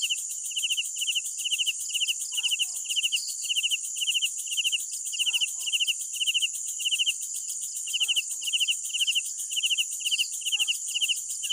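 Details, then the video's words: Night crickets chirping in quick, high, pulsed bursts that repeat almost without pause, with a steady shrill hiss of more distant insects above and a few faint, softer chirps underneath. "Sounds of Night Crickets"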